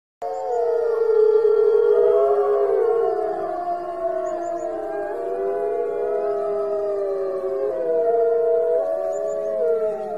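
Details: Arctic wolves in Greenland howling together in a chorus, several overlapping long sustained tones that waver and slide up and down, filling the whole recording continuously.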